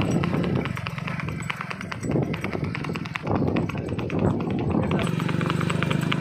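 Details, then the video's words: Kathiyawadi mare moving in the revaal gait at Bambhaniya, India: quick, evenly spaced hoofbeats with a steady clip-clop rhythm throughout, while a person talks over them. "કાઠિયાવાડી ઘોડી રેવાલ ચાલ"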